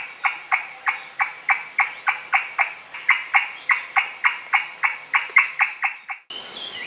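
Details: An Indian giant squirrel (Malabar giant squirrel, Maharashtra's state animal) gives a loud, rapid chatter of sharp clucking notes, about four each second, high in tall trees of dense Maharashtra forest.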